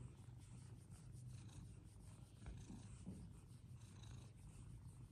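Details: Fluffy Persian cats playing; an even, low purring drone runs unbroken for five seconds under soft background hiss.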